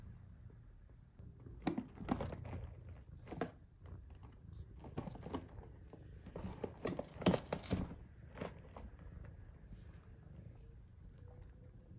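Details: Indoor handling noises only, with crinkling, crunching, soft knocks and rustles in a small room and no clear animal voice.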